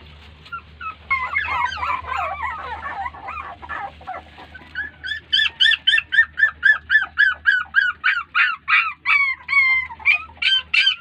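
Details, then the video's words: Litter of puppies crying when their mother dog ignores them; overlapping tangled whines at first, then a steady run of loud, sharp, high-pitched cries, about three per second. "Crying Puppies"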